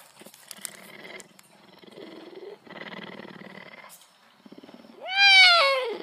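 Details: A cougar (mountain lion) gives a loud, rising-then-falling meow after several seconds of soft, rumbling purr-like sounds.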